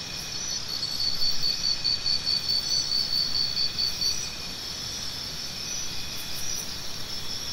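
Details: High cricket chirps repeat evenly for about three seconds before fading, with a low rumbling noise underneath and a constant insect hiss.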